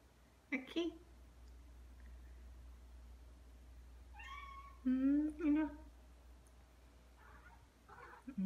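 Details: Pet Ragdoll cat indoors, one of two siblings aged two years nine months and two years five months, excited over a pompom ball toy; two pairs of clear rising meows, near half a second and near five seconds, with faint speech between.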